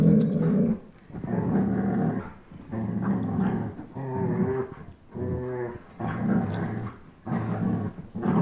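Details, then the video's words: Playful tug-of-war growls from a 10.5-month-old German Shepherd, Chase, and a one-year-old Old English Sheepdog, Blizzard; repeated deep, rough growls lasting about a second each, some rising into harmonic, whiny tones. "Old English Sheepdog vs German Shepherd tug of war"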